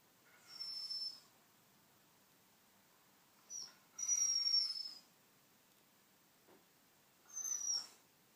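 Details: White Shiba Inu named Jack, struggling with a hoof chew he cannot get out, giving three high, thin whistled whines that slide slightly downward, each about half a second to a second long, separated by quiet pauses indoors.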